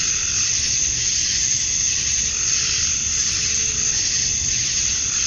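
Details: Cicadas at dusk on a summer night in Georgia, USA, males chirping to attract females: a constant piercing electric buzz, slowly waxing and waning, over faint low hum.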